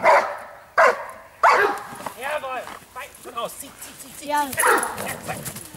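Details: Giant Schnauzer barking: three loud, rough barks in quick succession at the start, followed by a person talking over quieter sounds.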